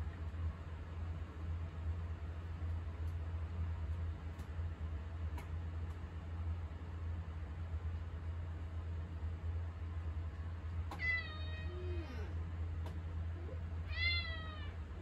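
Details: Attention-seeking cat in a kitchen, meowing at a person standing there; after a long quiet stretch of low appliance hum, two sharp, clear meows arrive near the end, roughly three seconds apart, with faint clicks.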